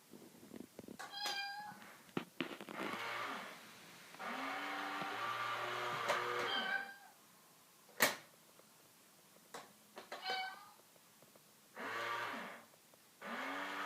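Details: Pet cat confronting a cat in a box, giving a series of long, rising-and-falling meows, some stretched to two seconds, with short chirps between and occasional thuds indoors.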